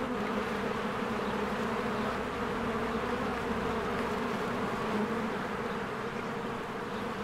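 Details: Honeybees in spring flying in and out of their hive in large numbers; a steady, rich buzzing drone that swells slightly in places, with no other distinct sounds.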